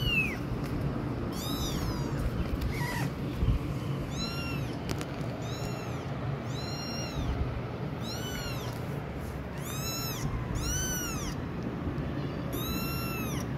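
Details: Innocent kitten crying loudly beside adult cats: repeated high, arching wails, first sparse then coming faster toward the end, about ten cries, set against a constant low background rumble.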